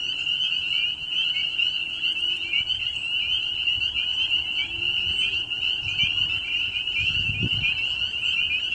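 Many frogs call at once, their high-pitched trills blending into a steady, shimmering drone that never pauses. A soft low thump sounds briefly near the end.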